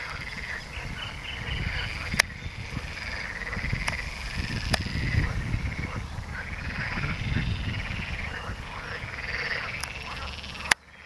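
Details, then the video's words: Water frogs croak in a steady chorus of rattling, rolling calls on 29 November 2022, with a great crested grebe present, low rumbling wind noise and a few sharp clicks. "rechot żab wodnych"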